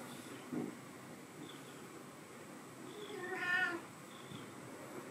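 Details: Morning at home with two teenage cats; a single drawn-out, wavering meow midway, softer and slightly nasal, preceded by a brief low chirp, against a quiet indoor hum.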